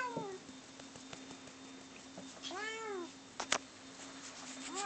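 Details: Bono and Mickey, two pet cats, fighting: a loud, harmonic-rich yowl arching up then down after a quiet spell, a sharp knock, then another yowl beginning as it ends; steady background hum.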